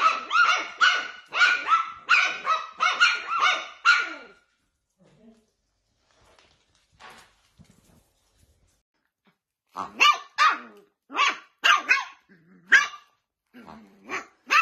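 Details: Dachshund barking in rapid bursts, a dense string of high barks, then several seconds of near silence with faint sounds, then more spaced barks resuming.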